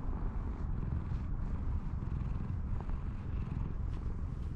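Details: Steady, low, rumbling purr from a grumpy-faced cat that came out of the grass to be stroked, continuous throughout with faint background noise.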